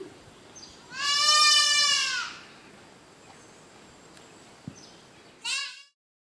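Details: Goat bleating during the banding of goats and kids: one long, loud, harmonic-rich, wavering bleat lasting about a second and a half, then a brief second bleat near the end, over a steady background hiss.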